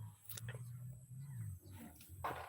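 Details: Bull elephant named Mos, in musth, chasing people who were trapping shrimp. He gives a deep, steady, slightly wavering rumble lasting about a second and a half. Men shout nearby, with rustling and clatter.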